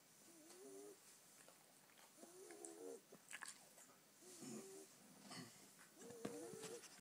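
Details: Ten-week-old female Staffordshire Bull Terrier puppy snoring while asleep: four wheezy, whistled breaths roughly every two seconds, each a wavering nasal tone with a faint rasp, over a quiet hissy background.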